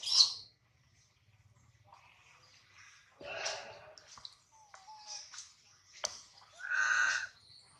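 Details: Baby monkey Adler, held in the hands of a small monkey, cries while missing his mother and hungry: a sharp high squeal at the start, scattered broken whimpers in the middle, then a loud, strained harmonic wail near the end.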